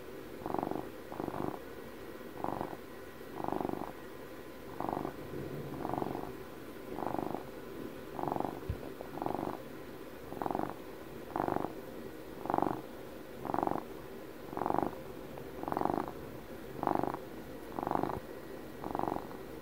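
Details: House cat, twelve years old, purring close to the microphone: rhythmic throaty rumble in regular pulses near one per second, growing slightly louder toward the end, one faint click midway.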